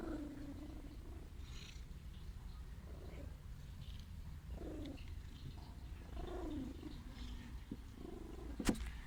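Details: A steady deep purr comes from an ailing stray female cat asking for affection. Faint gliding, falling tonal squeaks are layered over it, and a sharp click sounds near the end.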